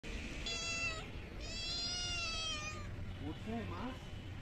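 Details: Stray kittens being fed small raw fish from a pond give two loud, harmonic-rich meows, a short one then a longer drawn-out one, followed by softer lower mewing sounds.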